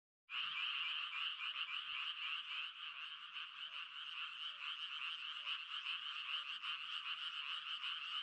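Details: Frogs croaking in a dense, unbroken chorus, with fast pulsing notes layered into a steady bright buzz that starts abruptly and holds at an even level throughout.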